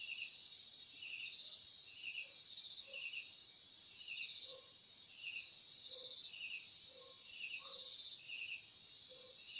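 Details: Crickets chirping at midnight with leaves rustling in a gentle wind: faint high trilled pulses repeating about every half second over steady high hiss, with soft lower chirps scattered beneath.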